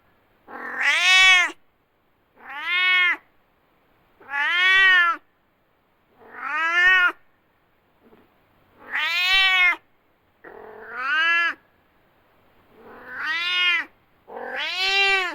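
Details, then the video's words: Domestic cat, described as angry, giving loud repeated meows: eight arched, harmonic-rich yowls roughly every one and a half to two seconds, bright and strained, rising then falling in pitch. "Angry Cats Meowing Loudly"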